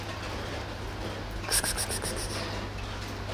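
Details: Steady low hum and background noise, with a brief run of bright, clinking or scraping pulses around the middle and no clear animal voice.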